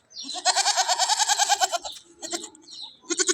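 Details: Nanny goat that has just given birth to two kids gives a long tremulous, rapidly pulsing bleat of over a second, then two shorter wavering bleats close by, with people chatting and laughing nearby.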